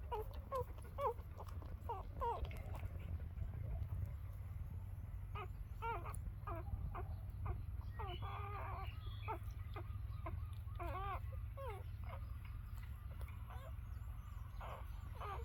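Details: Newborn puppies just after their mother gives birth: a run of short, high, arching squeals and whines, some in quick pairs, others spaced a second or more apart, over a steady low hum.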